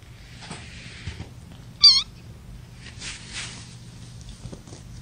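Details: Young kittens from a litter of five born April 14 to mother Gamora, held in a lap during a May 10, 2018 broadcast. A single brief, high, clear mew near the two-second mark, over a steady low hum and soft rustling.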